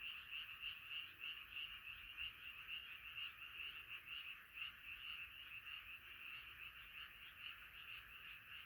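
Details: Frog chorus at night, many voices croaking together in a dense, unbroken wall of rapid pulsing calls, rippling steadily without pause.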